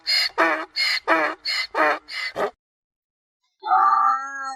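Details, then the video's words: Mule giving about eight quick rasping bray pulses in under three seconds. After a short silence a single smoother, tonal drawn-out note follows. "Tunog ng MOLA | Sound of MULE"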